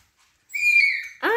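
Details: Siberian Husky named Baikal, at home after leaving the puppies without food: a sustained, steady, high whine with bright overtones lasting over half a second, ending in a brief harsher yelp-like note.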